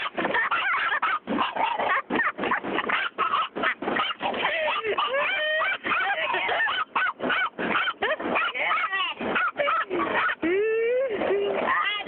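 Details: A female pet dog reacting to a car wash barks frantically the whole time, rapid high yaps and yelps repeated several times a second, rising into whining howls near the end.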